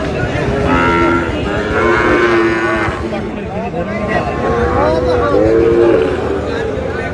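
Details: Sahiwal bull calf at a Madaripur livestock market, 3 April: short steady moos early, then a longer, higher drawn-out moo later, all under loud market babble and haggling voices.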